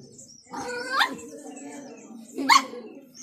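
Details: Puppy fighting a garden lizard. It gives a rising, whiny yelp that ends abruptly, a short pause, then one sharp, harsh bark.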